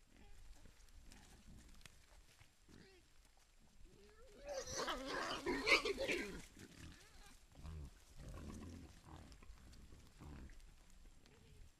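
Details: Wild boar herd with young foraging for food in Foreste Casentinesi National Park, Italy, filmed by infrared trail camera; a loud burst of harsh squealing mid-recording, followed by softer low grunts and rustling.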